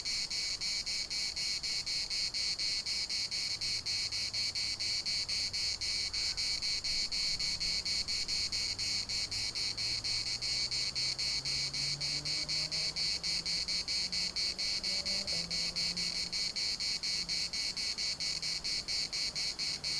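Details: Cicada chorus in Larnaca's municipal park, a dense high-pitched buzzing throbbing rapidly and without pause, over a faint low droning hum that slowly rises in pitch.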